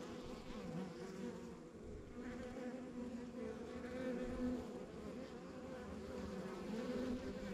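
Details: Continuous, soothing drone of a busy rural backyard honey bee hive, steady low buzzing tones rising and falling gently as bees move about, with occasional louder passes of single bees.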